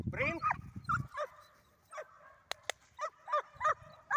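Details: Dog barking repeatedly while working on retrieve training, a run of short, yelping barks at irregular intervals, some rising and falling, with a couple of sharp clicks midway and a brief human voice at the start.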